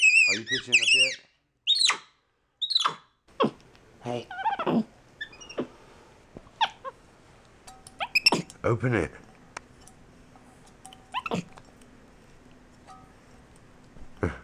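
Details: A pet capuchin monkey named MonkeyBoo communicating with his owner at home: opens with rapid high squeaky chirps that bend up and down, followed by scattered clicks, lower voiced sounds and quiet room noise.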